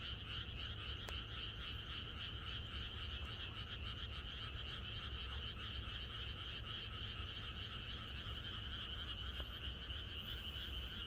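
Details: Frogs in a Korean country setting croak together on the night before rain, a thick rhythmic pulsing chorus with high and mid bands, an occasional sharp click, persistent low rumble throughout.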